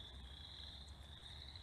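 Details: Boreal chorus frogs (Pseudacris maculata) in Minnesota give their spring breeding call in chorus, a steady, high, rasping trill like a finger run along a comb.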